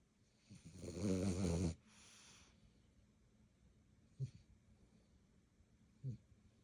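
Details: Dog playing late at night, around 11:30, indoors; one loud, low, rough growl lasting about a second with layered harmonics, then a quieter rasp and two brief soft thumps, with background hum.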